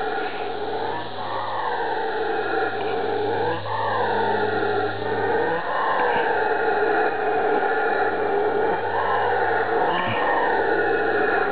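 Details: Howler monkeys on Ilha Grande, Rio de Janeiro, Brazil, roar in a continuous deep, rasping chorus, voices rising and sagging in long arcs, dense and booming without quiet gaps; howler monkey.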